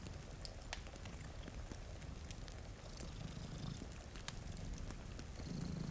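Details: Two domestic cats purr while sleeping in front of a rainy window beside a fire; a low, steady rumbling purr pulses throughout, with sharp crackles from the fireplace and soft rain patter over it.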